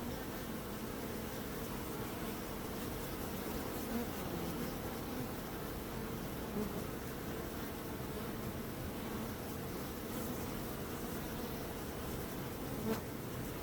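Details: Bees hum in a long, unbroken low drone. Faint louder buzzes rise briefly around four, seven and thirteen seconds as bees pass nearer.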